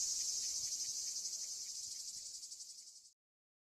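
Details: Cicadas sing their summer song at the archaeological site of Ancient Corinth, Greece: a loud, high, shrill buzz with a fast, faint pulsing throughout before stopping abruptly.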